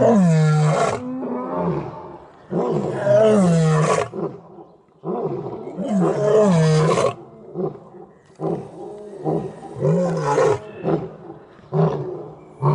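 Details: Lions in the Taigan lion park, Crimea, giving their evening roll call, watched from raised walkways; several deep moaning roars with rising and falling grunts come in bursts separated by short pauses.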